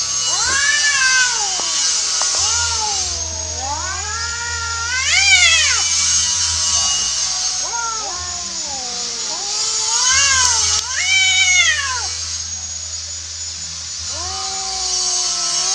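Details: Wild domestic cats in a natural fight, the orange one beaten; moaning yowls swell into sharp rising wails and drop again, two cats answering each other, steady hiss and hum behind.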